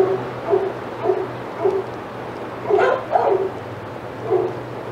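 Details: Excited senior dogs at Old Friends Senior Dog Sanctuary bark as another dog, Titus, passes their yard: short bursts spaced roughly half a second apart, with a louder pair near the middle, over a constant low hum.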